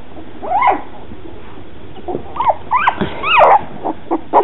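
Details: Two-week-old red and black standard poodle puppies from Molly and Cooper's second litter, heard indoors giving short, scattered high whimpers and squeaky yips that rise and fall, with quiet gaps between cries.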